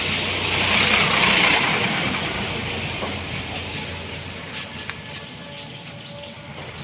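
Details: Steady roar of vehicle engines and road noise outdoors, with a broad hiss and a few faint knocks and clicks, and no animal voice.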